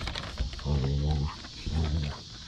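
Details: Basset Hound Mo playing with his sisters on a deck, his way of saying hello; two low droning growls, each under a second, amid outdoor hiss, a man scolding him between.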